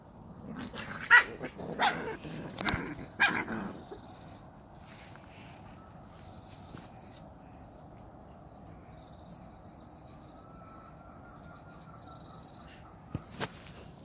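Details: Samoyed puppies from an A litter, 39 days old. Several sharp, noisy barks and yelps come close together in the first few seconds, then quiet room hum with a faint whine, a brief later yap, and people talking.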